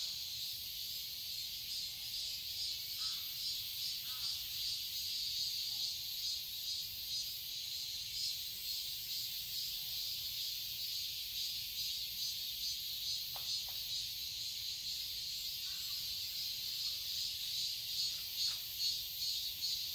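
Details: Cicadas in summer in a garden in Seoul, Korea: a steady, dense high shrill drone with a pulsing beat, continuous throughout, with a few faint short calls underneath.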